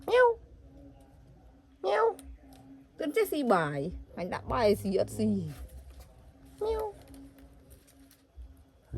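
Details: Domestic cat, one of three cats kept together, giving three short arched meows at the start, near two seconds and near seven seconds, with a person talking in Khmer between them in a small room.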